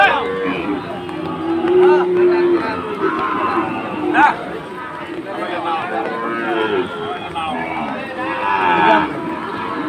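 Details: Sahiwal breed bull at a cattle market in Chittagong, Bangladesh, on the second day of Eid, during rain; a long, low, drawn-out moo with steady harmonics, then shorter lowing, over constant crowd chatter and men talking.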